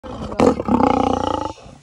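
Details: Captive lion at a zoo in Normandy during vaccination. A sudden loud burst gives way to a deep, rasping roar of rapid regular pulses lasting about a second, then fading to quiet.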